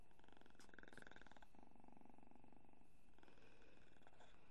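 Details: Sleeping kitten snoring lightly, a low rough breathing rasp pulsing in short cycles, with a quiet household background and nothing else clear.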